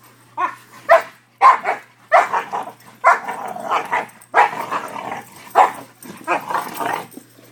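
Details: Two five-month-old Newfoundland/Labrador mix puppies, brothers from the same litter, barking while playing; a run of about eight deep, rough barks, bunched in pairs and singles, with short gaps between them.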